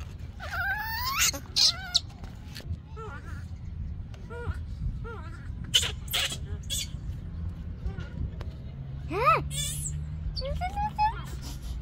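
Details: Baby monkey of Yaya crying out for Yoyo's milk, a series of short arched squeals and thin wavering cries, one sharp rising shriek past the middle, over low murmuring voices and background rumble.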